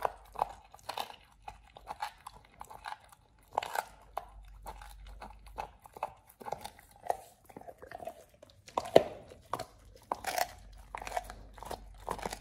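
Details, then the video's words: Pit bull Oliang gnawing a raw ostrich paw on his first try, a teeth-polishing and jaw-exercise snack: uneven crunching and squelchy bites, some louder snaps, short silences between chews indoors. "Oliang the Pit Bull 1st time eats Raw Ostrich PAW [ASMR] BARF | MUKBANG 動物の咀嚼音 | 犬が生の肉を食べる"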